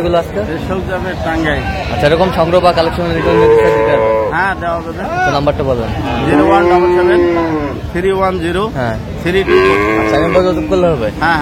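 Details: Dairy cows and calves, improved breed, at Aftabganj market in Dinajpur, Bangladesh, on 17 June 2025: loud overlapping moos, a long sustained bellow near the middle, with crowd voices underneath.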